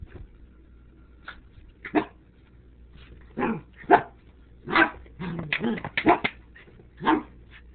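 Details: Pet dog Tobi facing off against a bottle of Sriracha rooster sauce, giving irregular loud barks, some doubled in quick pairs, separated by brief quiet gaps.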